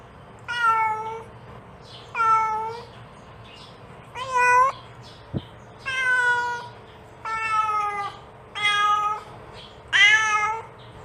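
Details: Indoor mother cat calling her kitten: seven harmonic meows, each about a second long, a few with a rising-falling contour, spaced one to two seconds apart, plus a single sharp click midway.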